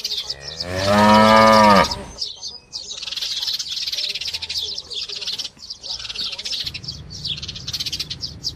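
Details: Calf calling once with a loud, nasal bawl lasting about a second, strongly harmonic, then quieter hissy background noise with faint chirps for the rest.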